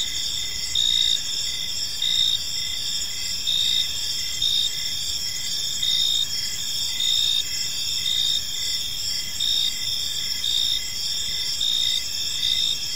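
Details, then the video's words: Evening in a tranquil park with a chorus of crickets: layered high trilling tones hold steady while rhythmic short chirps pulse roughly twice a second throughout. "Cricket Sounds in a Peaceful Park"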